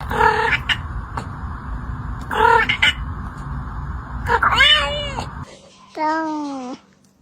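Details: Cat making weird sounds: two short nasal meows, then a rising, wavering chirp-like meow, and finally a longer drawn-out meow that dips and rises. A steady low hum sits underneath most of it.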